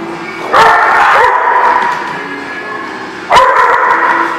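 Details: Dogs on 27 January 2018 giving two long, wavering howls, the first rising in and lasting about a second, the second starting near the three-second mark, with a constant background drone between them.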